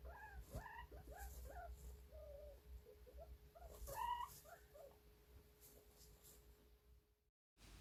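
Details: A guinea pig gives a run of thin, wavering, plaintive submissive squeaks, longer and more desperate than its other squeaks, directed at a dominant guinea pig.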